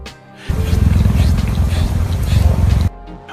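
A cheetah purrs in a deep, steady, rumbling drone, content at seeing its trainer again.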